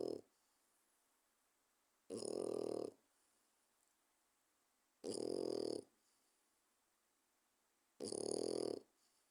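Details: A 4-month-old French Bulldog puppy snores loudly in its sleep, with a harsh, rasping rattle roughly every three seconds.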